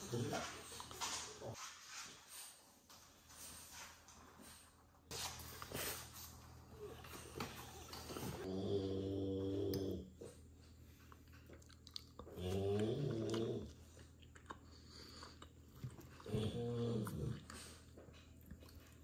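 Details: Oleg the French bulldog eating broccoli with pleasure: three low, droning growls about a second long, spaced several seconds apart, after a stretch of rustling and chewing noise indoors.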